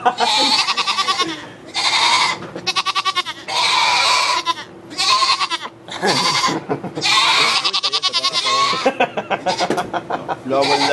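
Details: Goat calls recorded on an iPod Touch in a sugar shack in Quebec, Canada, where two kids are born: repeated loud, strongly tremulous bleats, each lasting about a second, in uneven runs with short pauses, with a few voices in the background.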